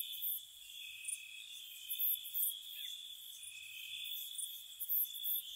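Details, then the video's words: Crickets chirp at night in spring around a cottage, a level, ringing trill continuing without pause, overlaid by scattered, quick, sizzling high chirps that come and go. "Cricket Sounds"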